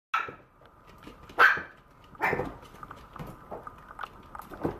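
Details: Maltese puppy barking indoors: a sharp high yip opens, followed by two more loud barks about a second apart and several softer yelps, over a steady faint electrical hum.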